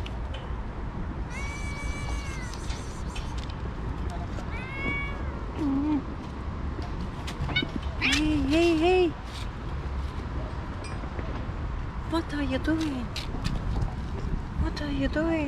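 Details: Stray mother cat and her two kittens outdoors, the mother having suddenly attacked the kittens; several short rising-falling meows, some high and thin, others lower and wavering, over wind and traffic rumble with a person talking to the cats.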